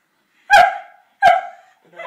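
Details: Staffordshire Bull Terrier pups playing together indoors, two sharp, high yappy barks about threequarters of a second apart, each tailing off quickly, followed by a softer third yelp.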